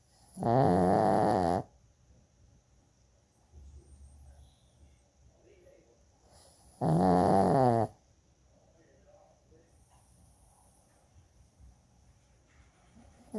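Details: Choco, a pet Shih Tzu, snores very loudly: two loud, rattling snores roughly five seconds apart, each lasting about a second, with soft breathing and faint snuffles in the quiet gaps.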